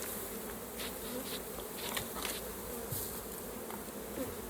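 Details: A softer, more distant hum of honey bees comes from a hive during a honey harvest. Light tapping and rustling sounds are scattered over the low, steady drone.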